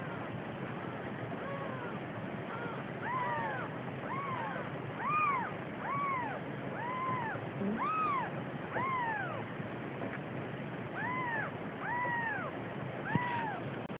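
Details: Siamese cat mother with a days-old kitten, faint arched mews repeated about once a second, rising then falling, heard through a steady broadband hiss.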